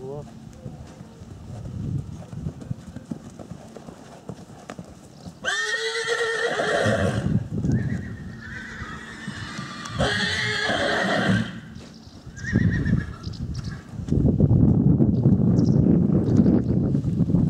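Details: Four-year-old Akhal-Teke mare giving two loud, quavering whinnies with wavering harmonics, the first around six seconds and the second near ten, amid hoof clip-clop and people talking.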